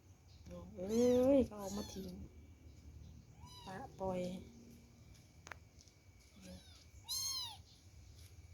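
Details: Abandoned kittens, dumped by someone, crying: several short harmonic meows, the loudest at the start rising then falling, with softer mews spread over eight seconds and a woman speaking softly between them.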